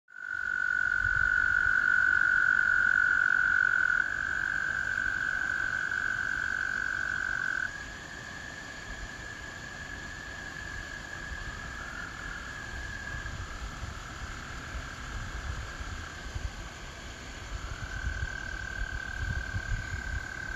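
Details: In spring, American toads call in chorus, giving long, steady, musical trills that overlap and run for several seconds each.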